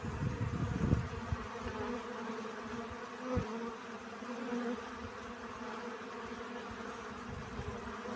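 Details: A close, humming drone of honey bees collecting pollen, starting with a loud rumbling burst, then settling into an even, layered buzz with one short thump midway.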